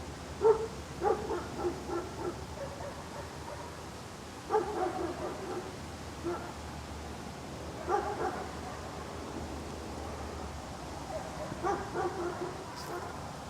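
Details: Dog barking outdoors: single and doubled sharp barks at irregular intervals, with quiet gaps between bursts, over a faint steady outdoor background hum.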